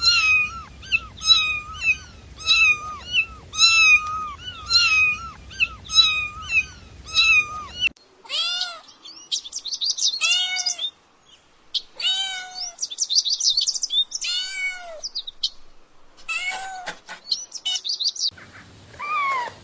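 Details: Playing kitten meowing: a quick series of short, high mews over a low hum, then a looser stretch of squeaky, chirping cries and mews with brief pauses between them.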